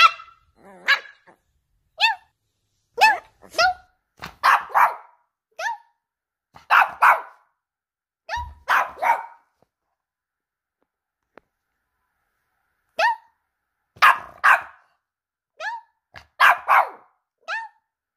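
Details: Female Boston Terrier puppy gets mad when her owner barks at her, answering with bursts of high, sharp barks and yips, a long quiet gap in the middle, then renewed rapid barking.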